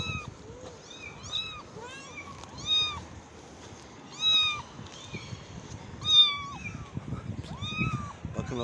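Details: A very young kitten, moved back to a balcony away from its mother and left there, cries with repeated high, thin meows, each arching up and falling away.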